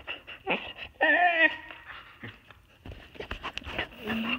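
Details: Tahkini, a female Siberian Husky pet, vocalizes indoors to ask to be let outside. A rising, wavering whine-like yodel swells after a brief quieter whimper, then trails into softer murmurs and breathy sounds.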